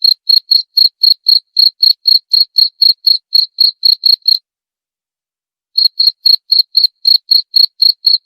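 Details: Rapid high cricket chirps, meant to drive off rats, run for about four seconds, break into a silent pause of well over a second, then resume at the same brisk, steady pace.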